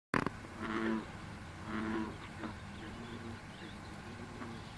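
Low, booming notes from an American bullfrog, each a drawn-out resonant drone lasting about half a second. Two croaks come close together, followed by quieter background murmur.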